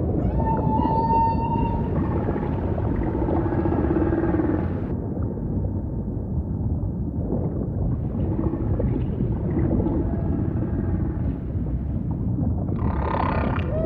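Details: Singing humpback whale with a steady high tone at the start, then stretches of buzzy, pulsed, harmonic-laden sound, quieter low moans in the middle and a rasping burst at the close, all above a dense low ocean rumble.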